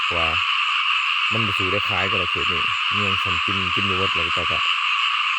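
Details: Rice-field frogs croaking in abundance: one short croak, then a rapid series of about a dozen throaty, rasping notes in close groups, against an unbroken, high, buzzing chorus.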